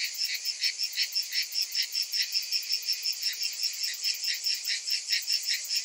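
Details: Cicadas calling in summer: a dense, high, buzzy chorus throbbing in steady pulses about two and a half times per second, with a faint shimmering band above. No other sounds.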